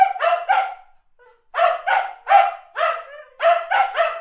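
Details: Barking dogs, recorded as a sound effect: quick pairs and triplets of punchy barks, one short pause near the first second, then steady bursts of two barks each.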